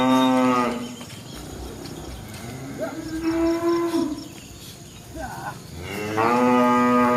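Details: Tame village cows in Embooh walk around giving long, low moos one after another, each a drawn-out, steady, harmonic-rich bellow.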